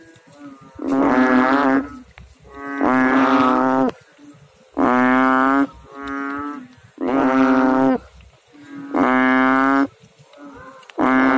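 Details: Frogs calling in water: loud, throaty, harmonic drones about a second long, repeated every two seconds in a steady rhythm, with weaker overlapping calls from neighbouring frogs.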